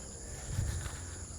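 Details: In the evening on rural land in the Philippines, crickets keep up a steady, high, ringing trill over a low rumble of wind and footsteps.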